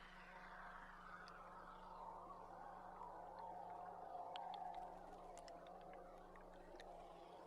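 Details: A large group of belugas heard underwater from a tour boat on July 16. A long downward-sweeping whistle slides from high to mid pitch, followed by bursts of rapid clicks over a low, steady engine hum.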